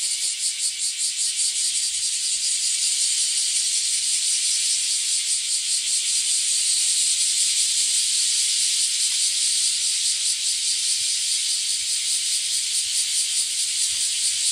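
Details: Bear cicadas in a loud chorus, heard on a walk along the alley in front of a house from early morning: a dense, continuous, hissing buzz with a steady rapid pulsing throughout, loud enough to be noisy.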